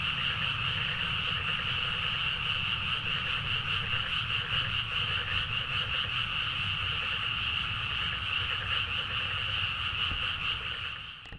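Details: Midnight rice-paddy frog chorus in Nagaoka, Niigata, Japan, recorded on a Zoom H4n: many frogs croaking together in a constant shimmering mass, beating roughly two and a half times per second, ending abruptly.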